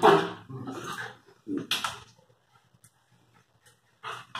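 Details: Lakeland terrier and Airedale terrier puppies letting out short, sharp yelping barks in quick succession, one more loud yelp a moment later, then near quiet with faint squeaks before two final yips.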